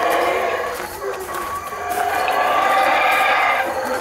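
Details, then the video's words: Loud howler monkey calling: a continuous, rough, roaring chorus that swells steadily across four seconds with strong harmonic bands. "Howler Monkey Calls"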